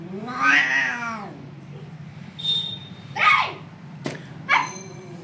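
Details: Stray kittens, hungry and calling for their mother cat in India, give one loud, wavering meow with rich overtones, followed by softer, shorter cries and a few sharp clicks.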